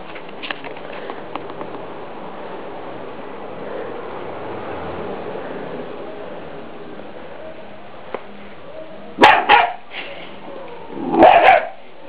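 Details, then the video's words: Three-month-old Scottish Terrier pet barking at a deer skull, guarding its owners: long low murmuring stretch, then two short sharp barks near the end, spaced about two seconds apart. "scottish terrier (buen vigilante)"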